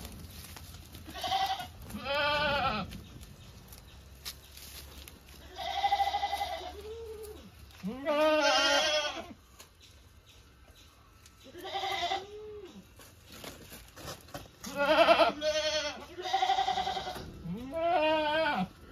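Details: Repeated quavering goat bleats, around ten calls of varying length with bouncing pitch, spaced irregularly with quiet gaps between them.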